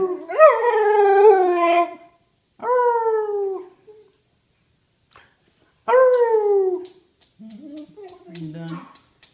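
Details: Howling female whippet stopping abruptly mid-howl: three harmonic, downward-sliding howls separated by pauses, followed by soft human speech at the end.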